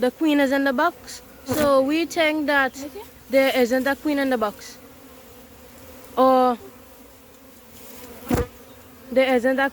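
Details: Honey bees from a massive wild hive being caught, buzzing in loud bursts of steady low droning tone with rich overtones, swelling and fading as insects pass close, with brief gaps of quiet between.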